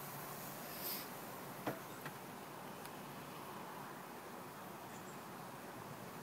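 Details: Steady broadband hiss with a few faint clicks and knocks, and no clear animal voice.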